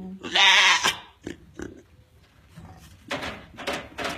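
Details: Grand champion African pygmy goat doe, restless and uncomfortable at about 9am on the day of kidding, hours before giving birth to triplets; one loud, harmonic bleat under a second long, followed by knocks and rustling.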